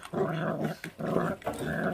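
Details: Feral dog puppy growling while eating, its mother a feral dog that gave birth and does not care for her young; three harsh, rumbling growls in close succession, each under a second, with brief gaps between.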